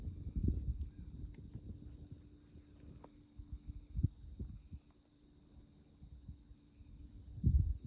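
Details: Insects chirping in the tallgrass of Konza Prairie, Kansas, on a moonlit night: a constant high, rapidly pulsing trill with occasional low wind thumps and rumble.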